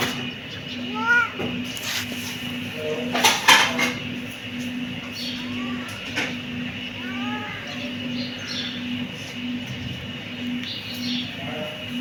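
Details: Kittens give several rising-then-falling meows, some in quick succession, with a burst of clattering household noise partway through and a continuous low hum behind.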